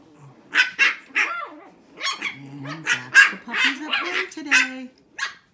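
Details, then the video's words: Shih Tzu puppies, six weeks old, in a barking contest: a rapid run of high, sharp yaps and squeaky barks, some overlapping, with brief low growly notes between them. "Barking contest, 6 Weeks"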